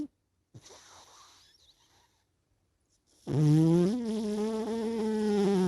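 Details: Sleepy cat snoring: after a soft, breathy exhale and a pause, a long, loud, rasping buzz swells in and holds for over two seconds with a slight wavering in pitch.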